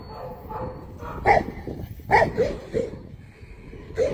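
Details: Deep, booming barks from a Tibetan Mastiff, four or five spaced irregularly over a few seconds against a rumbling background.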